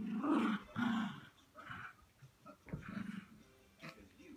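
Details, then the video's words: Cairn terrier puppy playing with an adult Cairn terrier indoors: two loud throaty growl bursts in the first second, then softer broken rumbles and a short sharp yelp near the middle, with scuffling between growls. "Cairn terriers playing"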